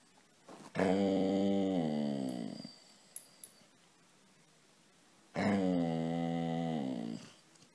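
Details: Casy, a pet dog wanting to be petted while playing, gives two long drawn-out grumbling moans of about two seconds each, several seconds apart, low and richly harmonic with a slight downward bend at the end.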